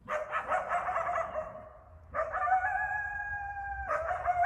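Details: An Eastern coyote (coywolf) in a Bellingham, Massachusetts backyard at night during the January–March mating season gives rapid yipping barks, then long, steady, slightly wavering howls.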